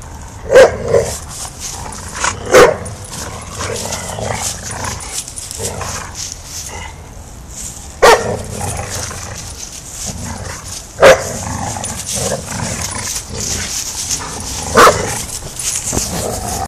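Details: Backyard play between five-month-old English Mastiff Rufus and his three-year-old sister Chica: sharp single barks spaced a few seconds apart, mixed with softer rough grumbles, over a constant hissing background.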